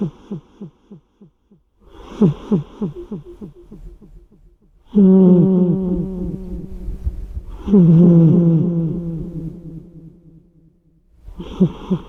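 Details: Snoring of Odd-Eye-kun, an odd-eyed cat, with an echo effect laid over it: a run of quick low snorts, then long drawn-out humming tones that ring and fade, and a final burst of rhythmic snores.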